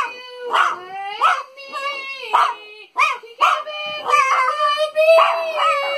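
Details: A French Bulldog sings for Father's Day in a run of rising and falling yowls, each note about half a second long and repeated roughly every second, ending in one long, steady, wavering howl.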